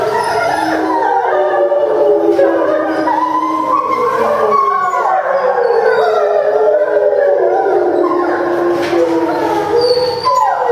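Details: Post-meal howling chorus of timber wolves at a Tokyo zoo, Japan, September 2015: dense overlapping voices, long tones bending up and down, with wavering higher notes over a lower howl.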